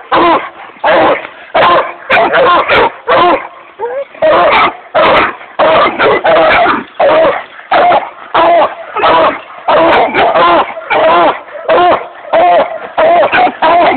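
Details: A six-month-old Redbone Coonhound pup gives a rapid run of yelping barks and bays, about one and a half per second.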